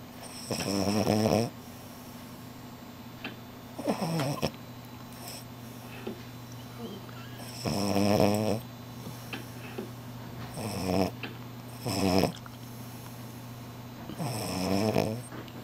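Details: Napping French Bulldog Shila gives a series of six or so irregular snores, some long and rattling, others short snorting bursts, spaced two to four seconds apart, with a constant low background hum in a small room during her afternoon sleep.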